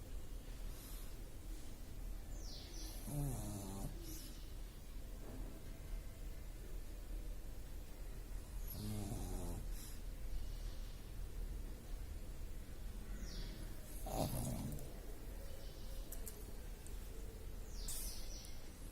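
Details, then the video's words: George the pug snoring while asleep: three raspy, rattling snores spaced about five to six seconds apart over a steady background hiss. "George The Pug Snoring - Pug Sleeping"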